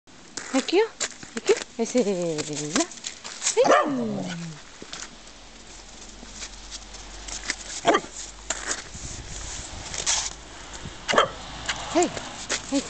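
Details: Corgi playing in snow, giving drawn-out, wavering howl-like cries that slide downward in pitch, three in the first five seconds, then quieter short yips and scuffling, with human voices nearby.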